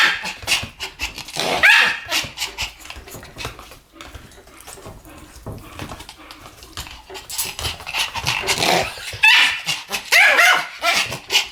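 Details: A pair of Pomeranians in duet barking: bursts of quick, shrill yaps that ease into a quieter, ragged stretch before sharp barks build again near the end.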